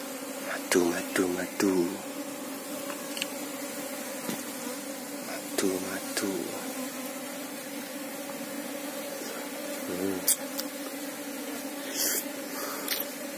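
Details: Asian honey bees (Apis cerana) buzzing steadily in a low, even drone as the hive is checked for its queen, while a man talks in short bursts over it and a few clicks and taps sound.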